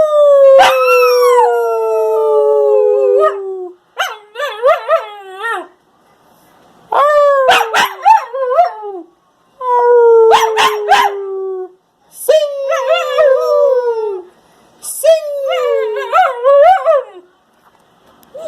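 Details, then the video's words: Husky shepherd mix pup named Waska howling, or singing: strong harmonic howls that slide down from a high start, broken by short wavering yips, in about six bursts over eighteen seconds with brief quiet gaps. "Waska howling"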